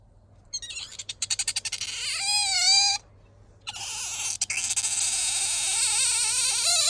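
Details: Household otter Bingo vocalising when sleepy or seeking affection: a quick series of pulsed chirps leads into a drawn-out high squeal, followed by a longer wavering whine that climbs toward the end.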